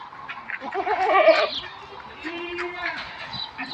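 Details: Goat on a semi-confined goat farm gives a wavering, nasal bleat lasting about a second, with a softer, steady drawn-out bleat following, over a low murmur of farm background noise.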